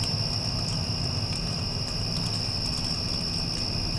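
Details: Crickets after a passing storm, a steady high-pitched continuous trill running unbroken beneath the dense low rumble and hum of an air conditioner.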